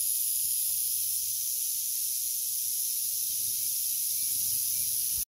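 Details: Unhappy but not aggressive timber rattlesnake from Arkansas producing a continuous, even, high hissing buzz for several seconds before it cuts off abruptly.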